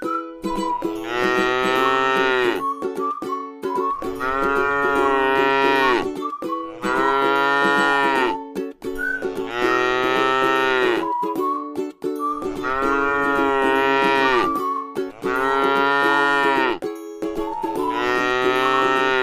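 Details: Grazing in a rice field, a tame cow lows about seven times in a row, each moo roughly two seconds of full harmonic tone ending in a downward slide, backed by continuous plucked-string music.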